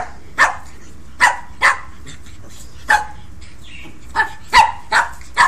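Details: Pekingese puppies Neigeux and her brother Gitli playing rough at home: about eight short, sharp, high yapping barks come in irregular bursts over five seconds, with quiet pauses between them.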